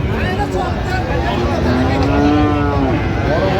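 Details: Friesian or crossbred bull calves at a cattle market in Narayanganj, Bangladesh, in December: one long, steady, low moo rises midway and holds for about two seconds over constant crowd chatter and market din.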